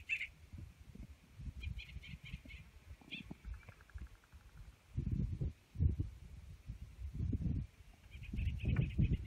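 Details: Gunnison's prairie dogs at a colony in Redondo Meadows, Valles Caldera National Preserve, New Mexico, June 2016, sounding sudden alarm barks as a bird of prey flies over. Short sharp chirps come in quick series early and again at the end, over heavy low rumbling wind.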